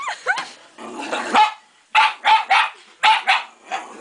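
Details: Shiba Inu dog barking close to a plastic bear head, a short growly yip followed by quick pairs of sharp, loud barks, with his owner trying to reassure him.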